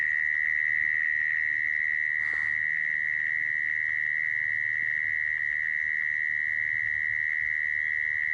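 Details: Mole cricket call, as used to lure crickets for trapping: one unbroken, steady high buzzing trill held at an even pitch for the whole stretch, with a faint low background rumble.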